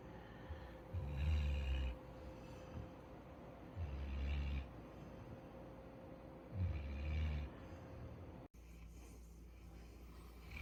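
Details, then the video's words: Futu, a Labrador Retriever born 8 November 2020 living on Jeju, snores while asleep: low rumbling snorts roughly every three seconds over a steady faint hum in the room. "리트리버 코골이"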